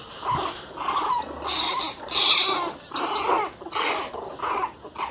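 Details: Small angry pinscher puppies, one month old, give hoarse, uneven yapping growls, roughly one or two per second, in a continuous grumbling series.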